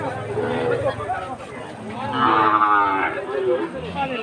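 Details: Sahiwal cattle among bull calves offered to Jessore farmers, Bangladesh, 13 March 2023: a long harmonic moo swells midway and tapers off, over steady crowd murmur and background voices.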